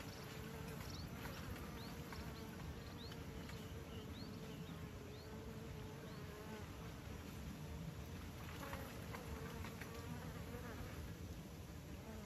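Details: Massed bees at a beekeeping site give a continuous low droning hum for twelve seconds, unbroken and even, with a few faint high rising chirps early on.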